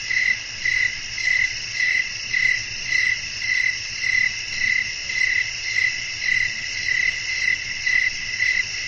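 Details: Night ambience of crickets calling, with wind: bright, evenly spaced chirps repeating just under twice a second above a continuous high ringing trill and soft low background noise.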